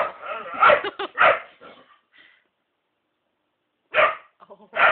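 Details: A whippet indoors wanting to get at a black cat; loud high yelping barks and whines in bursts, a silent pause, then more yelps.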